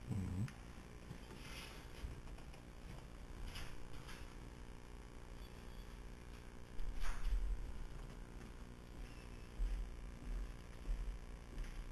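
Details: A low steady hum with scattered rustles and knocks from handling, and no animal voice stands out.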